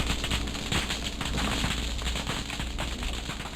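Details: At night, around 10 pm, from a sailboat moored in Los Alamitos on the California coast, pistol shrimp fill the water with a dense, constant crackle of sharp snaps, like frying fat or Rice Krispies, heard through the hull.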